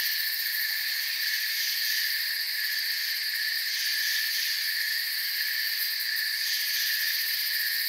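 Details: Steady high-pitched cricket chorus in a calm moonlit forest, several stacked bands of continuous trilling with slight swells in loudness, nothing else clearly audible.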